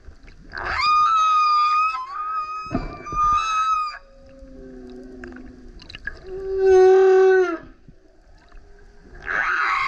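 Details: A male humpback whale sings loudly as he surfaces next to a kayak, a varied song of harmonic moans, low groans, pulsed buzzes, burps, grunts, howls and a rough roar.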